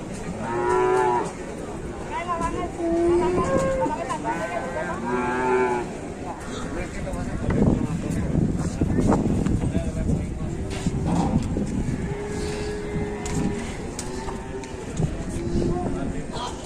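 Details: An agitated, rampaging cow held near a truck lows in drawn-out harmonic moos, several long calls rising and falling, with background music, a crowd and vehicle noise.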